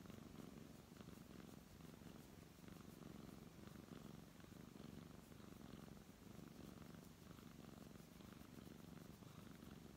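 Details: Deep rumbling purr from a brown tabby cat as it is stroked, even and continuous with a fast pulsing texture and gentle breath cycles, soft rubbing sounds in the background.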